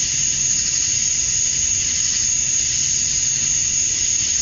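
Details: Male cicadas chirping to attract females at dusk on a summer night in Georgia, USA: a dense, unbroken high-pitched hiss, steady throughout, with no other clear sounds.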